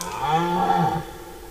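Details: Brief red deer stag roar from the September 2018 rut, recorded 10–15 September in forest: a low, steady, buzzy groan lasting about a second, then trailing off.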